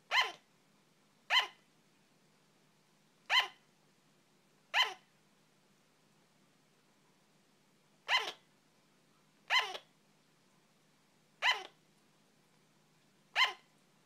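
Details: A female pet sugar glider barks, giving sharp, high yapping barks one every second or two, sounding like hiccups, over a faint steady hum.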